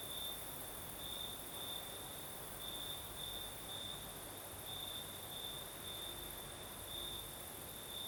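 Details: Crimean crickets at night, south coast with a night breeze: an unbroken shrill trill with brief louder pulses recurring irregularly, and a faint higher insect hiss over soft wind.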